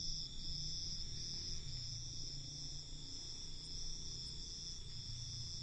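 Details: Unbroken high, shrill trilling from crickets at night, several voices blending into one ringing wall of sound above a steady low hum.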